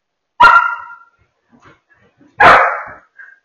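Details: Two loud, sharp barks about two seconds apart from German Shepherd puppies at play on a couch indoors, with faint small noises between them.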